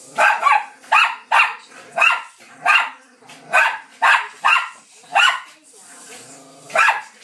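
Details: Bichon Frise and Lowchen dogs Tallulah, Evie and Harry have a mad five minutes of play on a settee. They give a steady series of about ten sharp, high yapping barks, each roughly half a second apart, with a brief pause near the end.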